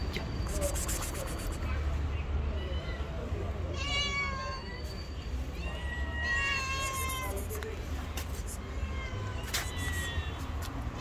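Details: Tabby stray cat living on the street; two drawn-out, wavering harmonic meows near the middle, with a few shorter mews and a steady low rumble of background noise throughout.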